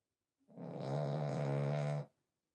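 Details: Pied French Bulldog named Smile snoring while asleep indoors: one drawn-out, rasping, buzzy breath lasting about a second and a half, low and steady with many stacked overtones, rising in and fading out in a quiet room.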